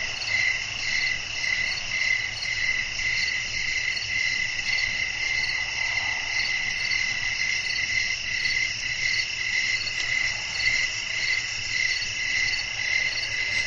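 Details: Crickets chirping at night in a natural setting, a steady high shimmering chorus pulsing in regular beats almost twice per second, over a soft low rush of wind.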